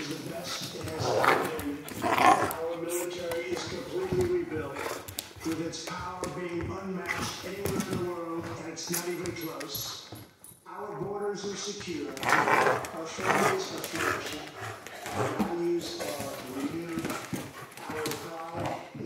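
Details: Central Asian Shepherd puppy in Michigan giving drawn-out, wavering tonal whines and whimpers in repeated bursts, with a few sharper yelps, while people talk nearby throughout.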